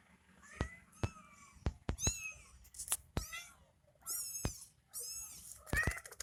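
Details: Kitten nursing from its mother cat gives a series of short, high, harmonic meows and squeaks in quick bursts, some rising sharply, with soft background noise between calls.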